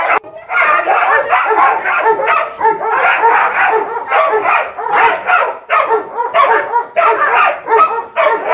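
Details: Two six-month-old female Dobermann puppies give a near-constant stream of rough growls, yips and short barks.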